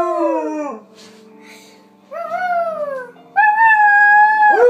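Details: Alaskan Malamute kept as a house pet, howling in duet with a young girl. Long tonal wails glide downward, then a brief quiet gap falls before a steady, bright howl that ends in a rising yelp.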